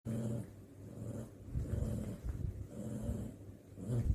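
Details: Pet dog grumbling while playing with another dog; low, rumbling growls rise and fall in a continuous stream, swelling louder near the start, middle and end.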